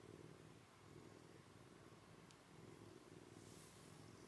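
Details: Komugi, a rescued kitten from eastern Saitama, Japan, sleeping beside a second cat for the first time; close, dense purring rolls on without pause, a soft even rumble with a brief faint click.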